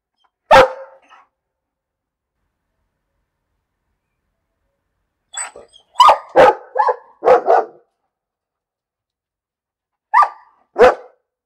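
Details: A dog barks: one sharp bark, a long pause, then a quick burst of four or five barks, and after another gap two final barks, all on clean silence.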